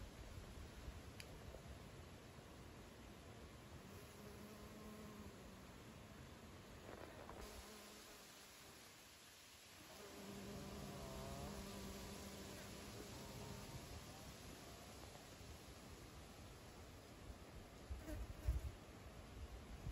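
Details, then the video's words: Honey bees carrying honey into the beehive, a steady low buzzing hum with tonal bands that swells in the middle section and fades again, over a soft hiss of background noise. "Bees are taking honey into the beehive"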